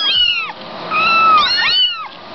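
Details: Kittens in a box making three clear, drawn-out meows, each arching up then sliding down, the middle one longest and steadiest.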